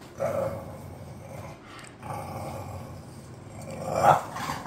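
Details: Two bored pet bulldogs, Khan and Ali, giving rough mid-pitched growling grumbles in several drawn-out bouts, ending in a louder sharper vocal burst, over a quiet indoor hum.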